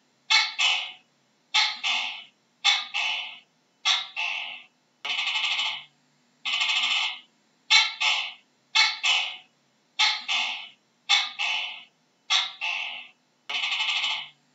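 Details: A gecko gives repeated rasping double notes, the second part slightly lower and fading. The notes come about once a second and are separated by clean silence, with a faint low hum in the background.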